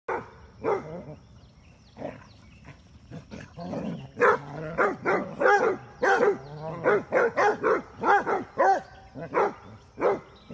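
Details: Basset Hounds, two females chasing a male in play, giving a run of short harmonic barks and yelps, sparse at first and then coming in quick bursts about every half second in the second half.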